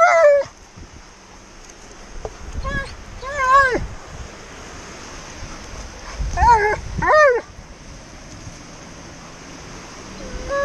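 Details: Tonka, an Alaskan Malamute at the beach, voices his impatience at having to sit still: several short, wavering, howl-like whines in bursts of one to two, separated by pauses, with faint rustling and background noise.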